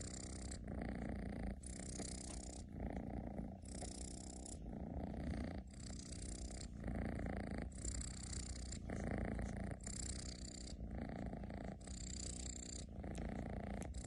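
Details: Indoor domestic cat snoring loudly, likened to a tractor; a continuous low rasping rumble rises and falls with each breath, roughly one cycle every two seconds, steady throughout with nothing else audible.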